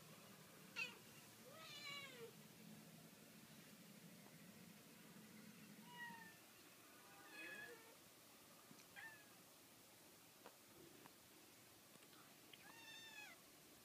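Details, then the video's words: Cats giving short, scattered meows, some squeaky and rising, others brief and clipped, spaced irregularly across the stretch with quiet pauses and a low room hum early on. "Gatti miagolano divertenti"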